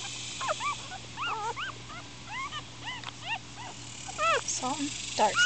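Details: Newborn Miniature Schnauzer puppies, four days old and upset, squirm while overlapping high whimpers rise and fall in quick succession, several pups crying at once above a low hum.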